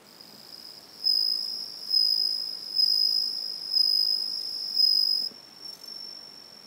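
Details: Bell cricket chirping in the evening, a second one singing at another spot; clear high bell-like notes repeated roughly every second in five swelling bursts, then only a fainter continuous ringing from the distant cricket remains.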